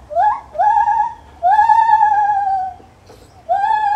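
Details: Lar gibbon in a zoo giving loud, pure whistled hoots that rise then hold level, long drawn notes with breaks between, fairly clean with little background noise.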